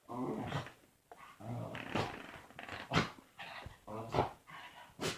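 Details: Dog indoors making weird noises: a string of short groaning, grumbling yowls and huffs, about one per second, uneven in rhythm, some rough and growly, others whiny and harmonic.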